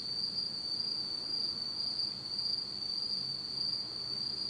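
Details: Insects trill constantly in total darkness on an autumn night in Japan, producing a thin, high, level buzz with a gentle flutter and nothing else audible.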